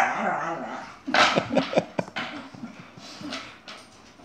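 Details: Chihuahua and Airedale fighting indoors, a burst of rapid harsh barks and snarls, then scuffling, with a person's voice calling out just before and after.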